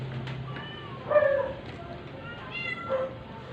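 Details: Weak stray cat being force-fed so it can survive; two drawn-out, strained meows, the first louder and longer, the second shorter and higher, over soft room noise and distant talk.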